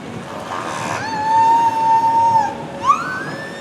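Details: Captive killer whales Corky and Ikaika at SeaWorld San Diego, 9 January 2017, vocalizing through their blowholes (Corky's A Pod calls): a long, steady, slightly wavering tonal note, then a short, sharply rising squeal.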